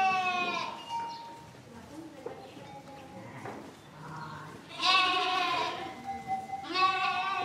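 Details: Sheep bleating: a quiet stretch with faint calls, then a loud, harsh, wavering bleat near the five-second mark and another strained bleat toward the end.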